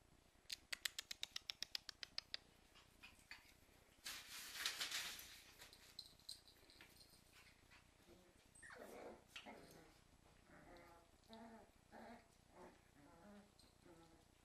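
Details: Cairn Terrier puppies playing with their mother give high, thin whines and short yips after a run of sharp tapping clicks.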